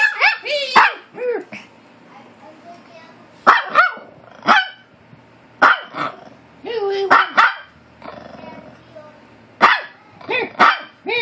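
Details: Maltese dog arguing back at another dog indoors: rapid high yaps and short growly barks in repeated bursts across the recording, mixed with a person talking and laughing.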